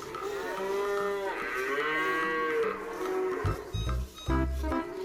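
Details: Cow giving one long, drawn-out moo that swells and gently falls in pitch over about three seconds, over soft background music. Plucked strings and percussion take over at the end.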